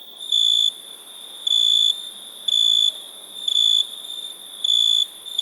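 A cricket chirps in a high, clear, ringing tone, each burst lasting about a third of a second. The chirps repeat at a slow, even pace of nearly one per second over a quiet background hiss.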